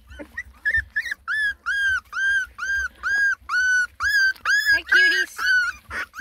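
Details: Ten lemon and tricolor Beagle puppies complaining while trying food for the first time: a run of high, arched whines repeated about twice a second, steady and insistent, with a deep low rumble underneath.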